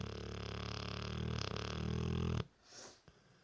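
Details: A three-year-old Dorset Old Tyme Bulldog snoring loudly indoors: a long, rough, rattling drone rich in low tones that stops abruptly, followed by a brief soft breath.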